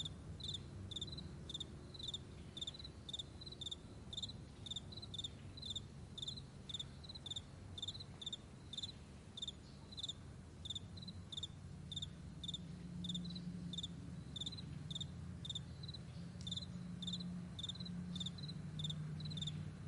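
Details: Morning chorus of crickets on a wide meadow: rapid high chirps repeating about twice per second without pause, layered over a soft low hum that swells slightly toward the end.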